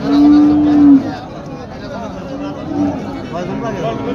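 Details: A cow at a Qurbani livestock market, heard while cattle are being bought, lets out one loud, level, sustained moo lasting about a second, followed by crowd chatter and a fainter second low call.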